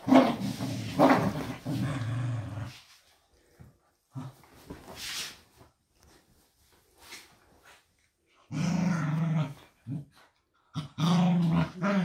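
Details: Doby and Blue, pet dogs, play an indoor blanket game, competing to free a wrapped toy: long low rumbling growls in bursts of two to three seconds, broken by quiet gaps, with a woman urging them on.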